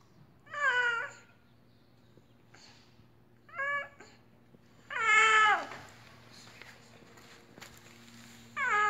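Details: Pet cat said to look sick and make strange noises gives four loud, harmonic, wavering meows, the longest near half a second, separated by quiet gaps over a faint steady low hum.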